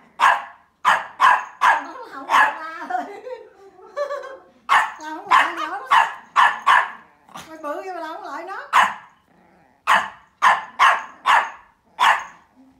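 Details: Mimi, a playful 12-week-old Pomeranian puppy, gives sharp high yappy barks in quick bursts, with a human voice talking in pitched, wavering tones between runs of barks.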